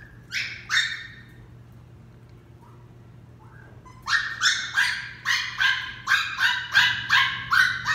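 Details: Dixie, a female West Highland White Terrier puppy, during a training session: two sharp high yaps, a pause, then a steady run of rapid shrill barks about three per second.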